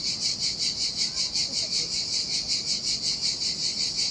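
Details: Cicadas singing in summer heat beside the sea on a desolate beach in Sardinia: a dense, shrill, high buzzing drone pulsing rhythmically about two to three times per second, steady throughout, with faint low surf rumble beneath.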